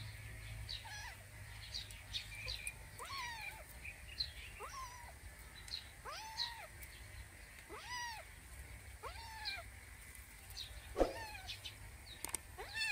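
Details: Kitten John, a curious young cat, meows repeatedly: about eight short arched mews, each rising then falling, roughly one per second, with steady outdoor bird chirping in the background.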